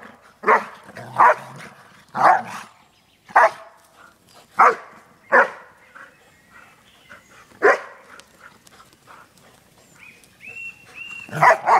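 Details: Pair of Airedale Terriers at play while on vacation: single loud, harsh barks spaced one to two seconds apart, with a thin whine-like tone near the end before a final bark.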